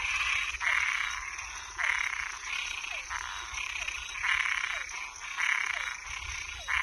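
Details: Frogs at night, toads and tree frogs named together: raspy croaking bursts repeat about every second in a dense chorus, layered over a steady high-pitched whine running throughout.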